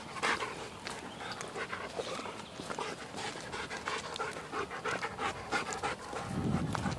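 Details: Dog panting during a hike through the Mississippi River valley with Kurgan, a 17-week-old Lycan Shepherd, and Lobo, a German Shepherd. Quick, breathy puffs, roughly three per second, run steadily over footsteps on the trail.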